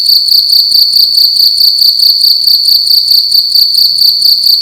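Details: Single cricket in a room at night giving loud, piercing chirps, a rapid pulsed trill repeating a little over twice per second, steady and uninterrupted.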